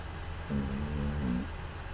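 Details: Female pet cat named Pū snoring in her sleep, recorded on a smartphone in a quiet room: a single low, droning snore about one second long with a slight nasal buzz, over a steady low hum.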